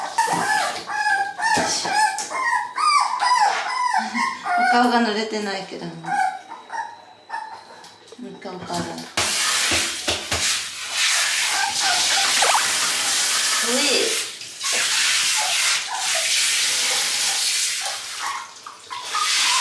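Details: Two Toy Poodle puppies crying in panic at their first bath: rapid, wavering whimpers and thin yelps fill the first half, then a steady rush of water or blower noise takes over with a faint late whine.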